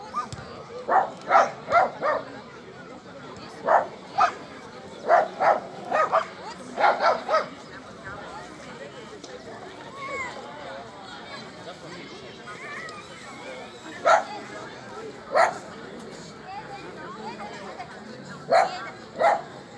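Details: Border Collie Alde at a Rally-Obedience G1 competition: a run of repeated sharp barks in the first eight seconds, a quiet stretch of background speech, then scattered single and paired barks.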